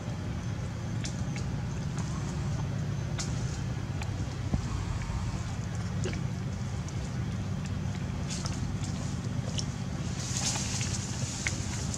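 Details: Outdoor traffic rumble with scattered clicks and a brief hiss near the end, and no animal cries.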